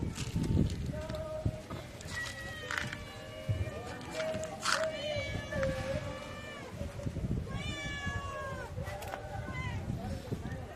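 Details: Several hungry street cats meow before feeding, a run of repeated plaintive meows, some falling in pitch, overlapping one another, with low rumbling street noise underneath.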